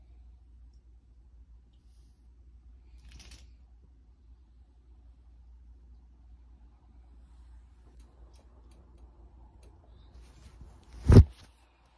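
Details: A quiet indoor room with a low steady hum, a faint rustle near the start and one sharp click close to the end.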